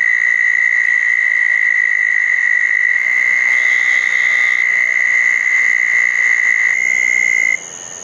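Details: Southern toad chorus at ponds after a thunderstorm, night of June 10, 2014: one long, level, high trill lasts nearly eight seconds, with a second, slightly higher trill joining near the end.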